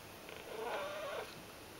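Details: Ragdoll cat begging while kneading, giving one short wavering meow that rises then falls, lasting under a second, over a quiet indoor background.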